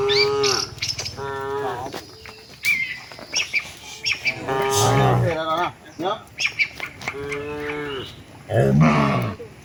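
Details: Tame cattle walking to the shed together; repeated moos in short series, some rough and some clear and harmonic, with bird chirps and low thumping sounds between calls.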